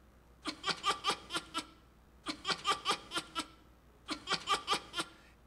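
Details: Red fox (Vulpes vulpes) from Siberian domestication experiments, laugh-like call: bursts of quick, breathy, pulsed sounds resembling human laughter, a friendly vocalization made by domesticated foxes but never by wild or aggressive foxes.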